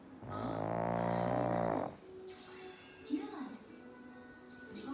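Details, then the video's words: Black pug asleep on a lap, snoring: one long, loud, buzzy breath with a rich, humming tone lasting under two seconds, followed by quiet breathing and faint background sounds. "黒パグの大きなイビキ!!Big snoring of black pug !!"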